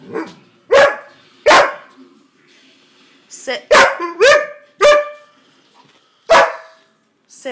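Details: Siberian Husky indoors complaining because it is not allowed on the bed: a series of loud, yodelling vocal bursts with a wavering pitch, each about half a second long and spaced irregularly, plus a brief rising whine near the middle.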